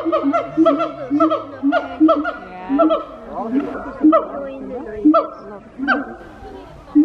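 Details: Wake-up call of a siamang gibbon, heard as bursts of bright, bouncing whoops and barks in regular pulses about every second, with rising and falling harmonic notes between them.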